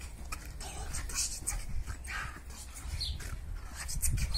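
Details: Orson, a Staffordshire Bull Terrier, during an online dog pulling competition: breathy, rasping pants in uneven bursts over a steady low hum and scattered clatter.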